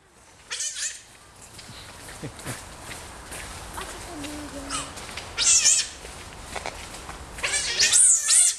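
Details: Hungry captive otters in an indoor enclosure at Hamburg Zoo, Germany, anticipating feeding time, giving very high-pitched, thin squealing bursts, loudest near the middle and end, over a busy, noisy background hiss.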